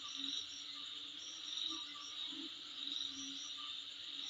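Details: Insects calling in front of a home: a steady high shrill drone with brighter pulsing chirps layered above it, swelling and fading in loose waves, plus a faint lower hum.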